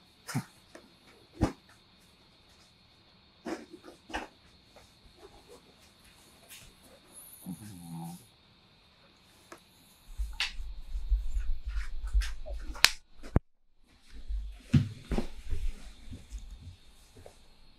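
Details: Chihuahua Kohaku indoors, sadly seeing mom off as she leaves and waiting for her return; a brief wavering whine-like sound in the middle among scattered taps and clicks, then a low rumbling noise.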